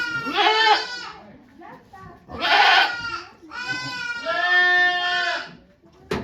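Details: Goat bleats during Okayu's birth of two kids at Yoshigake Farm on 3 May 2023, volunteers looking on: three full, vibrating bleats, the last drawn out and slightly falling, then the onset of another.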